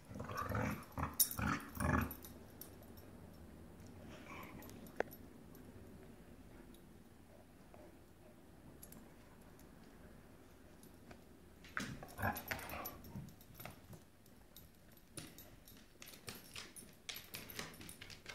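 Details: Dogs fighting over a rope toy indoors; rough, broadband growling and scuffling bursts in the first two seconds and again around twelve to fourteen seconds, with a quieter stretch of room noise between.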